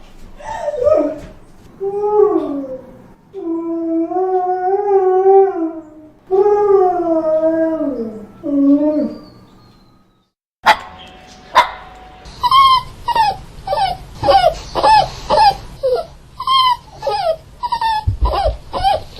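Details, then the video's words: Mournful dog crying: long, howl-like whines rising and falling in a wavy line, a brief silence, then a quick series of short, high yelps repeated roughly twice a second. "Som de Cachorro Chorando | Choro Triste de Cachorro | Choro do Filhote"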